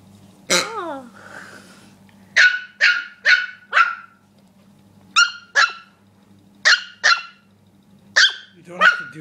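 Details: Rookie the dog barks at a pig he does not like, getting worked up: a yelp, then sharp barks in quick pairs and short runs of three or four, separated by brief pauses over a low hum.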